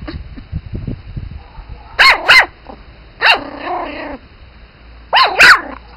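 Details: Pomeranian spitz puppies yapping: quick high-pitched yips in pairs, a longer whiny bark near the middle, then another yipping pair, over faint background rustling.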